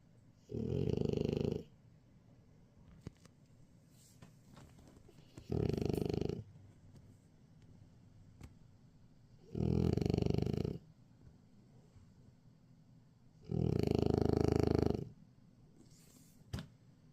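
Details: French Bulldog asleep during a daytime nap, snoring steadily: four harsh, buzzing snore bursts about four seconds apart, the last one longest, with faint clicks and rustles in between.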